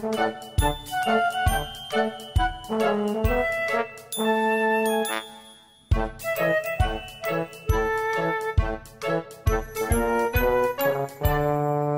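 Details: A cheerful chiming, tinkling tune with bell-like notes and brief pauses, music only.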